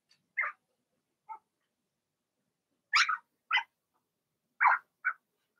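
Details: Cavalier King Charles Spaniel puppies of Blenheim colouring, two girls and four boys born in March, in a puppy pen during potty training. Six sharp yelps, some shrill and high, arriving in irregular pairs across a quiet background.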